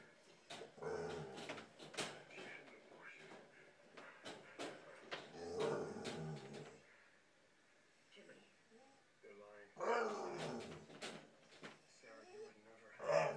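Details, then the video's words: Female bull terrier making odd grumbling, whining vocal noises indoors while wanting out of her crate although its door was open, a string of short moaning and yelping sounds with pauses. "Weird bull terrier noises"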